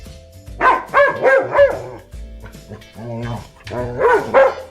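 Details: German Shepherd barking: a quick run of four harmonic barks, a pause, a softer mid-clip bark, then two more barks near the end, all over steady background music.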